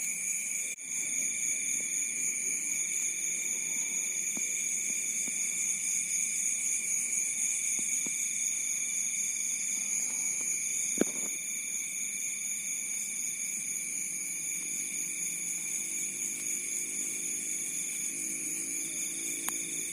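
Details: Crickets calling at night at the edge of a rice field in Bantul, Yogyakarta: a dense, unbroken high-pitched chorus of steady trills layered at several pitches, with a few faint clicks and low rural background.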